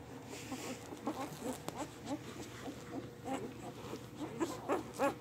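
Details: Newborn English Mastiff puppies, a litter of eight (three male, five female) born on Halloween night; a steady chorus of short high squeaks and mewing cries, several per second, over a soft background hiss.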